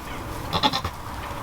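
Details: Newborn goat kid, one of a pair of twins (a boy and a girl) born to the doe Amelia, cuddling with its mother on a blanket; one short, wavering bleat lasting about a third of a second, with quiet background.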